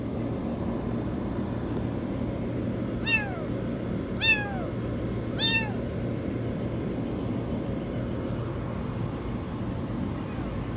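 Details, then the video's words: Kitten caught in a washing machine calls three times in quick succession, each meow starting very high and sliding downward, roughly a second apart, then silence apart from a steady low hum and background noise. "Kitten stuck in the washing machine meow very high"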